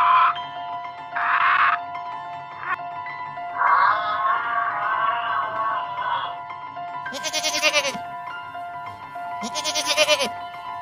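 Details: Goat bleating over steady background music: a series of wavering, nasal bleats, one drawn out for about two seconds, then two loud, harsh bleats near the end.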